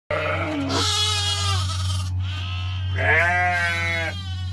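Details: Lambs screaming during morning chores while ewes are milked: loud, wavering, strongly harmonic bleats, one long cry then a higher rising-falling one, over a steady low machine hum.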